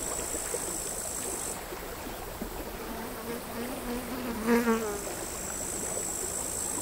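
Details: Seaside crickets on a sand hill at Altja, Estonia, August 2022: a thin, high continuous trill pauses, then returns, while a low buzzing flying insect passes close by midway, all against soft sea-wave noise.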